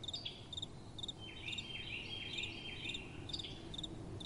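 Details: Crickets at night with gentle wind: short high chirps in quick pairs and triplets, joined midway by a run of sliding, wavering tones, over a low steady rumble of wind.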